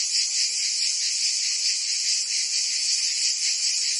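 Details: Provence cicadas in summer, France: a loud, sizzling high buzz held constant, gently wavering in volume, a wall of insect sound with no other voices.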